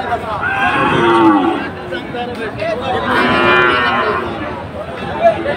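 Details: Sahiwal bulls at Ambari cattle market, Monday 24 July, with Chattogram buyers present. Two drawn-out bellowing moos, the second louder and arching in pitch, rise over a background of market crowd.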